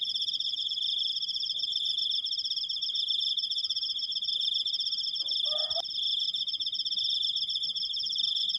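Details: Cricket recorded by the person who filmed it, giving a long drawn-out 'krik' sound: a continuous, finely pulsed high trill with shimmering overtones that never stops, with a brief low rustle just past the midpoint.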